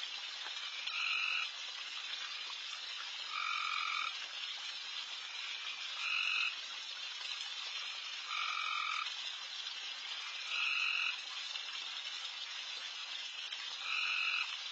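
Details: Late-night backyard frog chorus with frogs calling loudly all around. A steady, sizzling wall of calls carries a louder, buzzy two-toned croak repeated about every two to two and a half seconds, six times in all.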